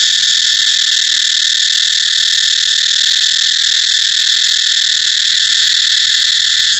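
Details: Cicada song heard as a constant, dense, shrill whine, flat and unvarying throughout, with nothing else standing out.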